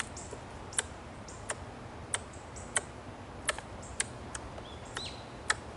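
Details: In a green park, an Ezo red squirrel gives sharp, dry, tongue-click-like chucks at irregular intervals, which the observer suspects is a threat call, possibly from irritation at being watched.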